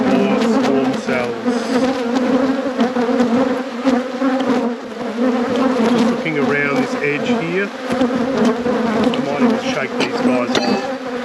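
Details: Honey bees in a beekeeper's apiary at peak production, heard during a hive inspection: a dense, steady low hum with a droning overtone above it, continuous throughout, with faint human voice and occasional clicks beneath.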